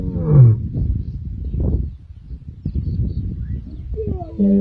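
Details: The Kambula male lions roar on 14 December 2023 with deep, rumbling surges and throaty grunts that swell and fade over several seconds.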